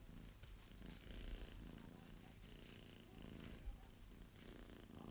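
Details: Young male Abyssinian cat purring under stroking hands: a low, throbbing purr that swells and eases with each breath, close and steady, with soft handling noises.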